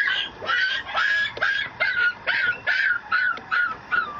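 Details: Young male Mameshiba, a small Shiba Inu dog, at a Japanese breeder's kennel, giving a steady series of short whiny yips about twice a second, each with a rising-then-falling squeal, clear and close.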